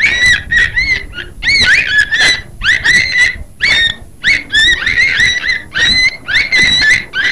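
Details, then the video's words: A beluga whale's busy chatter of short whistled squeals and chirps, some bending upward, others dipping, packed in quick bursts with tiny gaps, clean and unaccompanied. "Beluga Whale sound"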